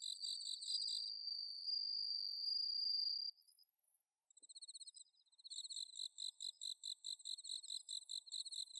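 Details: High ringing song of bell crickets recorded at night in autumn in Inba-numa paddy fields, Chiba, Japan, one long sustained note giving way after a brief lull to crisp pulsed chirps repeated about four per second.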